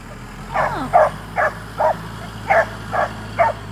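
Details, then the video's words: A young Black and Tan Coonhound, five months old, treeing a squirrel: seven quick, hoarse barks about half a second apart, with a constant low mechanical drone behind. "Coonhound treeing at 5 months old!"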